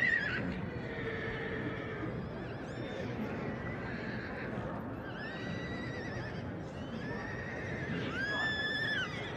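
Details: Several whinnies from a Shire horse, the tall, strong working breed from England: quavering neighs at the start and middle, and a loud rising-then-falling whinny near the end, with constant low background noise throughout.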